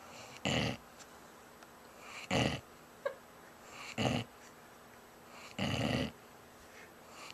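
A sleeping bloodhound snores in rough, rumbling bursts that come about every two seconds.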